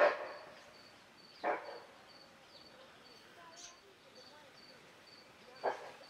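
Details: A female bushbuck near Naivasha in February 2023, with a baby nearby, gives harsh, hoarse single alarm barks a few seconds apart at a Fish Eagle in the tree above, over faint, steady insect chirping.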